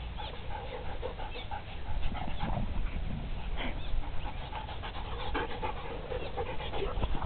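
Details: Two Briards, one 18 months and one 7 months old, playing on the green outdoors; steady rapid panting breaths with scuffling and rustling throughout, a few brief louder huffs.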